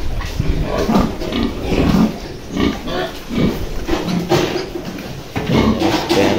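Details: Farm pigs near a sow of a good breeding line that has just given birth for the first time, two days old litter nursing; repeated low grunts and short squeals throughout, with a man speaking Tagalog over them.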